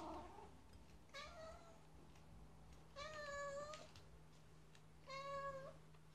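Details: Chouchou, a domestic cat that seldom meows, calling over a new treat indoors; three clear drawn-out meows at roughly two-second intervals, each a steady tonal wail, over a low constant hum.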